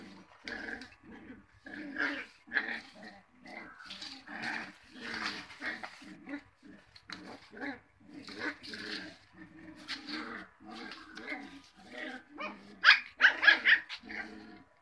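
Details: Cocker Spaniel puppies in a steady run of short growls, grunts and squeaky yelps, roughly one or two per second, with a louder cluster of high squeals near the end.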